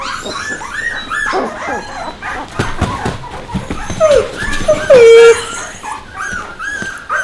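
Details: Young puppies alongside Bek whine and yelp in overlapping, quavering high cries, with a few sharp yips and one loud drawn-out squeal near the middle.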